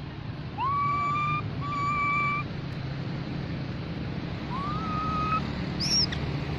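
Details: Mona monkey infant calling the group: two flat, sustained whistled notes in quick succession, then a pause and a third whistle that slides up before levelling, with a faint high chirp at the end and a low steady drone.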